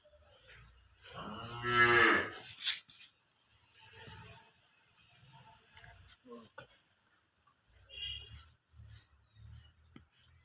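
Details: Holstein Friesian cow at a sale of cows with calves lets out one short, strong moo near the start. A man then talks about the animal over faint shuffling and knocks.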